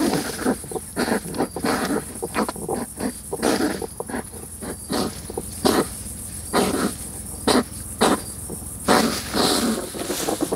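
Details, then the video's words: European hedgehogs fighting and courting during mating season in a wood stack in a garden, the female testing the male's strength: loud, irregular bursts of harsh puffing snorts and huffs, clustered in quick runs with short pauses, over a faint steady high hiss. "Fighting and courtship of hedgehogs"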